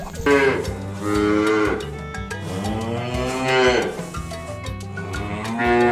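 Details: Cattle mooing: long, low, drawn-out moos that swell and fade, two main calls within a few seconds, over steady rhythmic background music with percussion.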